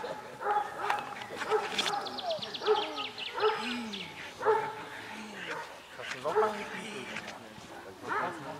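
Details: Perro de Presa Canario named Don Quijote de la Arena, from the De la Arena kennel in Germany, during Schutzhund training: loud harmonic barks repeated roughly once a second, some with a short falling yelp, with people's voices mixed in.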